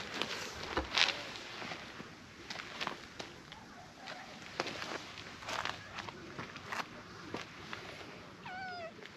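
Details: Orange tabby cat meeting a stranger for the first time and quickly warming up; one short harmonic meow near the end, falling then rising, over a steady outdoor background with scattered clicks and rustles.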